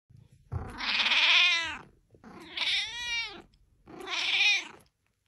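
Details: Kitten meowing indoors: three long drawn-out harmonic meows, each rising then falling and lasting about a second, separated by short pauses, with a soft low chirp before the first.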